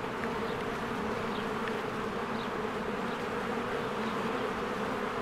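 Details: Honeybees swarming in and out of their hive in spring among blooming flowers. A dense, steady low buzzing hum of many wings runs throughout, with faint brief chirps above it.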